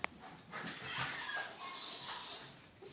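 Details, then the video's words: Female Miniature Schnauzer screaming wildly and happily for her long-lost electronic toy hamster; shrill, high-pitched sustained squealing whines in two long drawn-out bursts with wavering tone, preceded by a sharp click. "Dog screams for toy hamster!!!"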